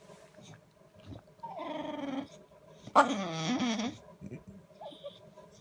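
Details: A bulldog sulking and making noises for attention at 7:30 on a Saturday morning: a drawn-out, wavering whine, then a louder, moaning grumble that bends up and down for about a second, in a quiet room.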